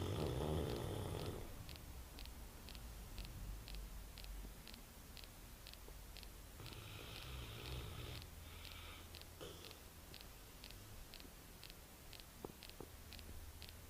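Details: Duke, a pet dog indoors, snoring like a man: long, low rumbling snores at the start and again around seven seconds, each lasting over a second, over a steady fast ticking in the background.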